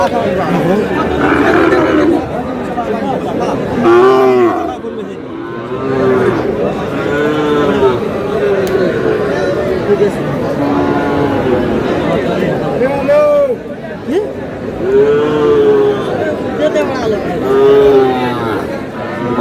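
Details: Sahiwal bull calves at the start of trading day at Aftabganj cattle market, Dinajpur, Bangladesh, on 30 June: repeated drawn-out lowing moos, several overlapping, amid a steady hubbub of crowd chatter and bargaining voices.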